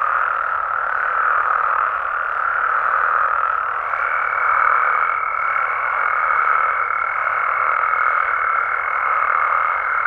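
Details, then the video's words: Massed frog and toad calls from Mexico at night blend into a constant mid-range drone of croaking, swelling slightly near the middle. A thin high whine joins at about four seconds and holds. "Mexican Frogs & Toads Sounds"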